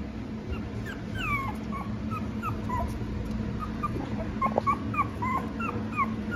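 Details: Small female Maltipoo puppy, palm-sized, giving many short high whimpers and squeaky yips, some rising or falling sharply, scattered through the clip over a steady low hum.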